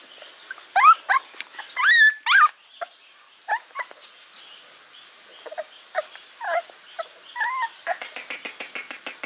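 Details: Hungry puppies want food, crying loudly with rising and falling high whines and squeals, some long and wavering, ending in a quick run of short clicky yips.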